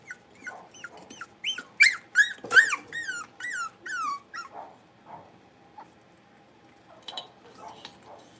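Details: Five blenheim Cavalier King Charles Spaniel puppies, born at New Year, playing in an indoor puppy pen. A quick run of about a dozen high, arching whiny yelps fills the first four seconds, then softer scattered yips and faint thumps follow.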